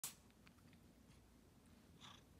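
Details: A domestic cat named Queen Loaftifa sneezes while walking indoors: one sharp, explosive burst of hissing noise right at the start, then a softer, shorter breathy puff about two seconds later over quiet room hush.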